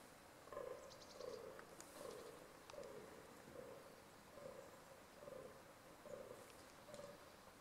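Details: Groaning of a fallow deer in rut, a rough, throaty grunt repeated at a fairly quick, slightly irregular pace, fairly faint against soft background hiss, with a few brief high bird notes and clicks.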